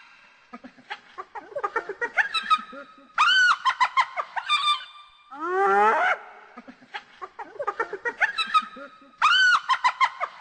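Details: Hyena giggling in rapid bursts of short, harmonic-rich yelps, with a single steeply rising whoop near the middle, then more bursts of choppy giggling notes.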